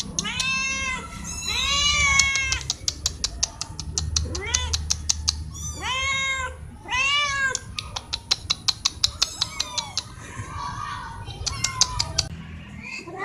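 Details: Domestic cats, four of them, meowing loudly for food or attention; repeated arched meows roughly every second or two, interspersed with rapid sharp clicking taps and a steady high hum.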